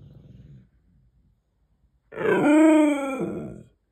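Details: Male Siberian Husky demanding a treat indoors, a low grumble followed by a loud drawn-out howl-like moan with rich harmonics, rising then steady and falling off after about a second and a half.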